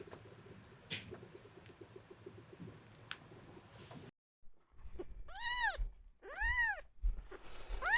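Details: Male red tabby-and-white cat Miel at the veterinary clinic for seizure testing, January 2024: several seconds of low rustling and handling noise, then a quiet gap, then three rising-and-falling meows in quick succession.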